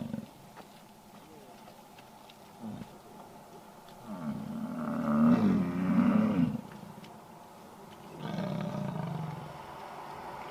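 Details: American bison bellowing in the rut at Yellowstone, Wyoming: a long, deep, growling roar of over two seconds, then a second lower roar about two seconds later, with faint voices and clicks in the background.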